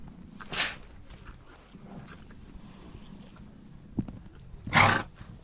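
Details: Steppe horses in Mongolia: a sharp nasal snort early on, a single knock, then a longer, louder blowing snort near the end, over a low hum and light rustling.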